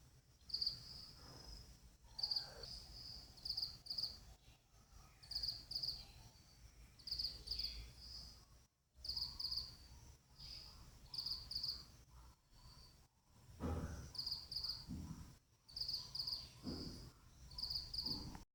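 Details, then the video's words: Chirping from the partner of a female pet cricket: rapid, high, clipped chirps in near-continuous groups throughout, over low rumbling background noise. "cricket chirping sounds"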